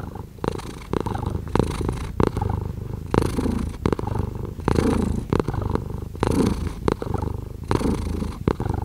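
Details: Close rumbling purr of a cat, rising and falling with its breath in even cycles, with brief soft rustles or clicks between pulses.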